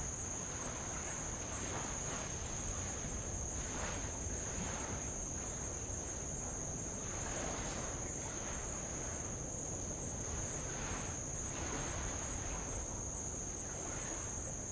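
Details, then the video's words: A level high-pitched insect drone from Avalau island in the Kingdom of Tonga, steady from start to finish, sits above the low rumble and gentle splashing of light waves on old lava. "sound of light Waves on old lava and Insects"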